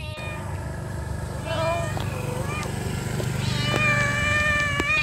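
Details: Mother cat calling her kittens: soft, wavering meows rise faintly out of a steady low hum and rumbling background, growing a little louder toward the end.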